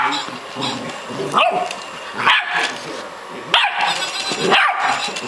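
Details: Female Staffordshire Bull Terrier puppy, twelve weeks old, contesting her bed with a robot dog, letting out four brief rising yips about a second apart over steady televised football commentary.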